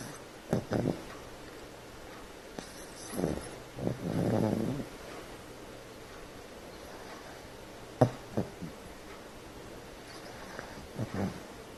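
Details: Sleeping female dog named Pepper, worn out from play with two other dogs, snoring loudly; short rough snorts and one longer raspy inhaled snore, irregularly spaced, with quiet pauses between.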